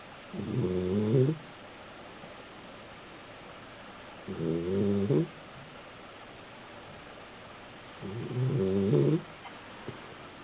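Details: Male Basenji asleep on his back indoors at an apartment in South Park, Pennsylvania, snoring three times at intervals of roughly three and a half seconds, each a short, gravelly, harmonic drone.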